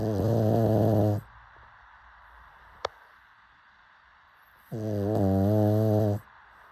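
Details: Pug snoring while asleep: a loud buzzing snore over a second long, a single sharp click in the quiet gap, then another drawn-out rasping snore.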